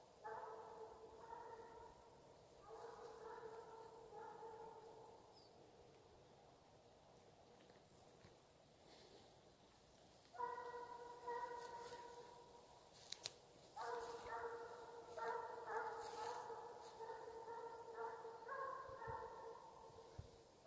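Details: Russian hound in full cry during a hunting chase in Ivanovo Oblast, Russia; repeated, ringing, distant howled bays in bursts separated by quiet gaps, with faint outdoor background sounds.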